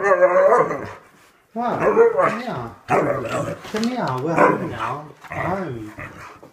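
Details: A male Siberian Husky, upset at being left by his owners as happens daily even for short absences, complains in long, wavering, speech-like yowls that rise and fall in pitch over several bouts.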